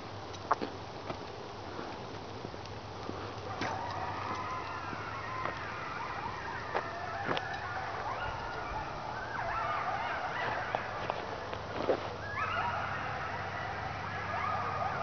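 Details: Pack of coyotes calling in the dark in a quiet remote area at night, heard during a dog walk; overlapping wavering howls and yips rise in the distance amid steady background hiss and a few clicks.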